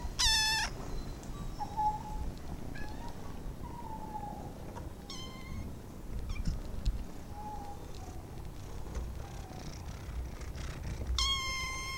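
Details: Domestic kittens kept as pets: a loud, high meow opens and another closes the stretch, with softer, faint mewing calls scattered between them against steady low background noise.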